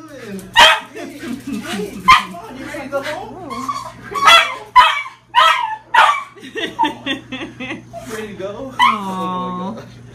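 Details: A female Shiba Inu was found as a stray and held at a shelter for 22 days. On being reunited with her owner she gives sharp, excited yelps and a rising whine.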